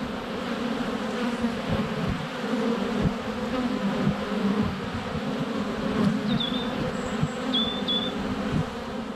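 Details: Honey bees in flight at a hive entrance on a sunny February day, filmed less than a foot away with a GoPro Hero 7 Black: dense, steady low droning hum throughout, with a few brief high bird chirps near the end.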